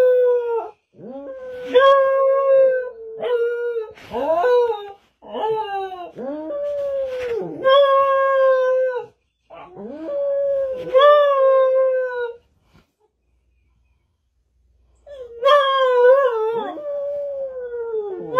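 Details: Domestic dog in a run of repeated howls and wavering wails, each a second or two long with yipping onsets, pausing briefly before one more bright, sustained howl.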